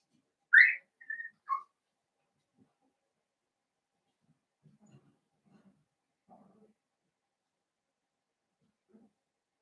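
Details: Blenheim Cavalier King Charles Spaniel puppy, one of a litter of five born at New Year, in an indoor puppy pen: a loud, high, rising whine, then two shorter whistled whimpers, followed by soft low shuffling noises.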